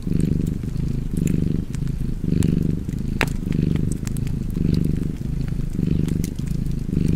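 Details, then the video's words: Cozy cat purr beside a fireplace, a deep continuous rumble rising and falling about once per second with each breath, dotted with bright crackles and snaps from the burning fire. "Cozy Purring Cat ASMR / Kedi Mırlaması"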